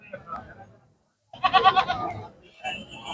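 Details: Champion male goat from the Rukhala goat fair bleats once in a loud, wavering, tremulous burst lasting under a second, framed by people talking before and after.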